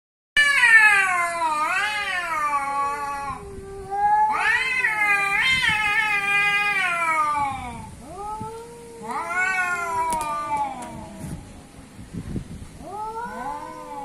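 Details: Cats described as an Asian cat and an African cat in a confrontation, giving long, loud, wavering caterwauls that rise and fall in pitch, in several drawn-out bouts separated by short pauses, ending in lower moaning wails.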